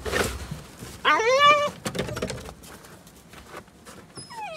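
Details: Gerberian Shepsky puppies, nine weeks old, among five left of a litter of eleven, playing outdoors on a sunny, brisk winter day; one drawn-out, wavering whining yelp, then thumps, scuffling and a few thin high squeaks near the end.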